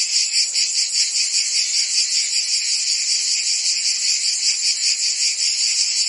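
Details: A thick layer of cricket and insect chirping, high and sizzling, carries a soft regular throb about 2.5 times per second against a quiet background.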